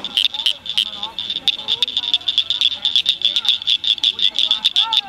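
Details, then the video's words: Chorus of rare Blanchard's cricket frogs at Cricket Cove Park near Cygnet, Ohio, May 2006: clicks tapping irregularly over a bright sustained high note, soft curving whistles beneath. "Cricket frogs Singing"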